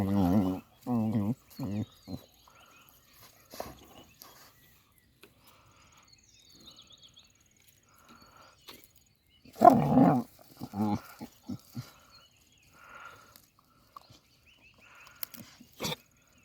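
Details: A Cane Corso puppy aged 4 months 15 days gives deep, rough growling bursts in short repeated pulses.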